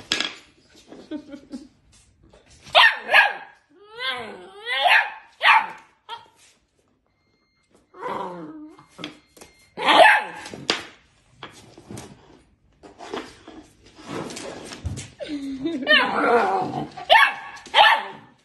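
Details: Rhodesian Ridgeback vocalizing in wavering, swooping, yodel-like moans mixed with short barks; the sounds come in bursts separated by brief silences, with a longer, noisier stretch near the end.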